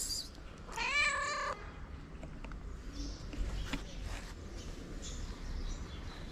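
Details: Stray street cat in its favourite spot, waiting for love and food, gives one clear drawn-out meow that rises then falls, followed by quiet background with faint clicks and rustling.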